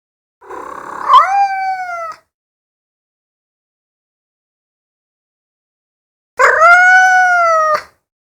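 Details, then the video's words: Cat giving two long, drawn-out meows about five seconds apart, each starting rough, then rising into a clear, sustained, slightly falling wail. "Meowing cat sound effects - chat qui miaule (bruitage)- صوت مواء القط"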